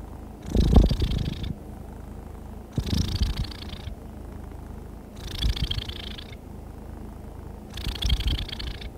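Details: A contented domestic cat purrs steadily, its low rumble swelling with each breath about every two and a half seconds, a sign of contentment and relaxation.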